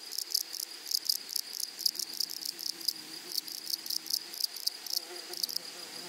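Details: Close grasshopper stridulation in a flowering prairie, buzzy scratchy bursts in short rhythmic clusters, with a sustained shrill hum of other insects throughout.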